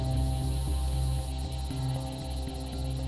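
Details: Low droning ambient music with a steady hum and faint high pulsing, no animal voice. Only the electronic drone and its soft rhythmic throbbing fill the moment.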